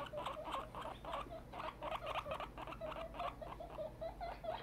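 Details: Grown female guinea pig Tiny, very excited, repeating short chirping squeaks in a rapid, even series with soft pattering in the background.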